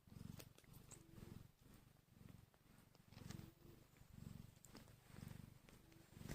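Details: Newborn domestic kittens (Felis catus), one hour after birth and hungry, purr softly and rhythmically, pulsing about once every second.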